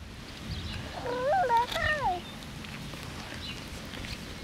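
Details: Lakeland Terrier puppies, six weeks old and born 29 May 2018, handled on the grass the day of their shots. A single burst of overlapping high whines lasts about a second, each bending down and up in pitch, then quiet.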